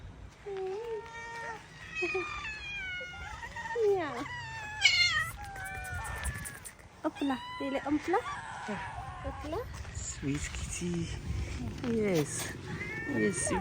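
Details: Stray cats being fed outdoors give a series of short, rising-and-falling meows, several overlapping and repeated throughout, while a person talks softly and encouragingly to them.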